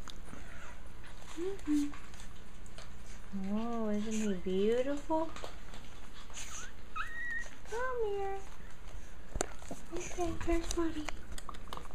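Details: Japanese Chin puppies from a litter give high, wavering whimpers and whines, several rising-and-falling cries in bursts across twelve seconds, with a person speaking softly to them between calls.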